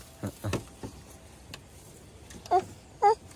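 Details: Domestic sheep at a garden plot, called cute. Soft human voices and handling noises come first, then two short, quavering, nasal bleats about half a second apart close the recording.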